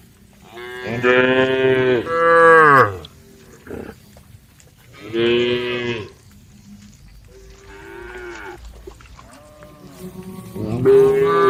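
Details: Female cows grazing in a forest moo with several long harmonic lowing calls, with quieter ones between.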